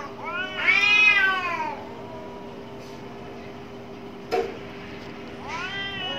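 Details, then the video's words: Angry cats fighting behind a home: a loud wavering yowl rising and falling over about a second, a sharp knock, then another harmonic-rich wail starting at the end, with a steady low hum throughout. "cat sounds-CATS FIGHT with their sounds, Angry Cats Fight behind my home"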